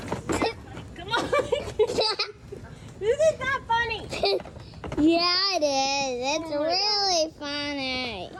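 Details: Goat screaming in a humanlike way: after scattered chatter and a child's voice, a long wavering, quavering bleat rises and falls over about two seconds, then repeats with a shakier tremble.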